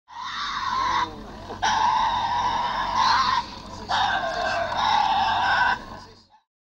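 Tasmanian devil giving three long, harsh, rasping screeches, each one to two seconds, separated by brief pauses. A voice is briefly heard at the start.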